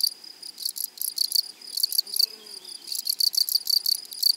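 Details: High, dry buzzing pulses from grasshoppers in a flowery meadow, grouped into quick runs of chirps with short pauses, a faint sustained tone above and soft low rustle beneath.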